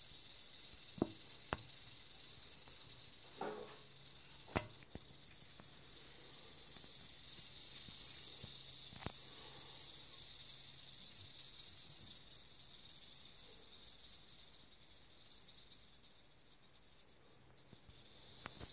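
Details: Rattle of an eastern diamondback rattlesnake, a sustained high hissing buzz that grows stronger in the middle and eases toward the end, with a few isolated sharp clicks early on.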